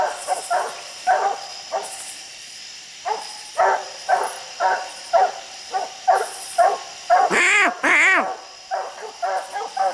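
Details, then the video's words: Coon dogs bawling at a tree holding a raccoon far up a steep hillside; a run of barks roughly twice a second, two longer rising-falling howled bawls near the end, a man's voice faintly. "Coons everywhere treed the furthest coon up a steep hillside"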